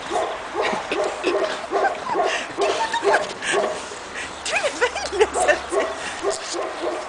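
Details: Pekingese puppies, two and a half months old, on their first outing in the snow in Tallinn, Estonia, giving a busy run of short high yips and barks, several overlapping, with quick rising and falling squeals near the end.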